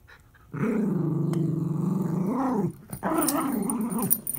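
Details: Miniature Schnauzer puppy and adult dog playing tug of war; a continuous low growl with rich harmonics runs about two seconds, breaks briefly, then resumes rising and falling.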